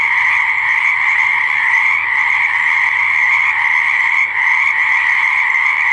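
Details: Croaking frogs at a pond or swamp form a thick continuous chorus, a shrill, even buzz of overlapping voices that holds steady throughout the six seconds without any break.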